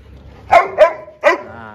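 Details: Lucy playing with Max, an Indian breed dog: three sharp, loud barks in quick succession, the first two close together and the third after a short pause, then a faint tonal trail.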